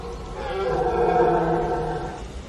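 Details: A red deer stag in the rutting season, which begins in mid-September, gives a deep, drawn-out roar from deep in the forest that swells and then fades.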